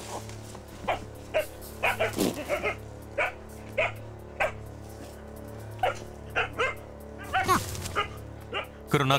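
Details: Jindo dog facing a wild nutria that has slipped into a greenhouse: scattered high, excited barks and yelps, some in quick pairs, mixed with narration and quiet background music.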